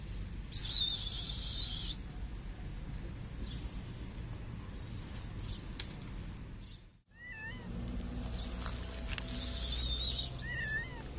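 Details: Stray black-and-white Oreo cat on the street, a male wanting to mate with a female that looks like him, gives two drawn-out wavering meows late on, with steady traffic rumble and a brief sharp noise early.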